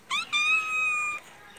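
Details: Male pet cat giving one loud, clear meow: a short rising onset, a brief break, then a long steady tone held for about a second before cutting off, in a quiet indoor setting.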